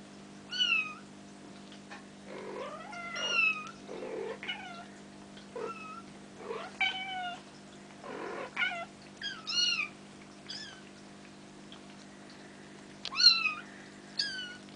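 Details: Bengal kittens almost five weeks old, a litter from Ariel and Dream by Sambuca, playing indoors; high-pitched squeaky mews with arched, wavering tones come in quick overlapping bursts, roughly a dozen across the stretch, over a steady low hum.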